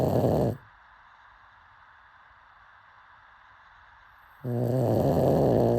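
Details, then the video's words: Asleep pug: a snore fades out at the start, a long quiet gap follows, then another harsh, buzzing low snore starts and carries on to the end. "Pug snoring"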